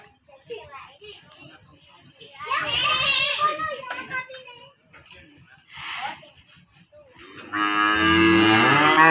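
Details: Aggressive cow being let out of its pen and put back in, giving one loud, deep, drawn-out harmonic moo near the end, after scattered voices, children's chatter and rustling.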